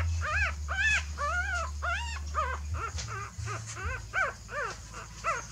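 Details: Dog whimpers recorded as a mother dog carries her puppies to a new nest: a quick run of high, arched whining cries, each bending up then down, several per second, over a steady low rumble.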